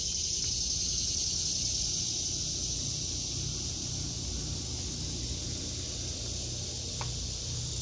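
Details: Cicadas in a vegetable garden in August 2023, their shrill sustained buzzing filling the air without a break; a couple of brief clicks and a low hum in the background.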